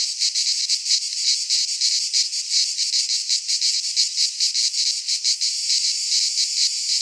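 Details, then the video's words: Midsummer cicada song from a Greek pine forest: a loud, unbroken high-pitched buzz made of quick uneven pulses, many insects blending into one shimmering drone. "Cicadas singing in midsummer - Nature sounds from the Greek fauna - Sounds of cicadas"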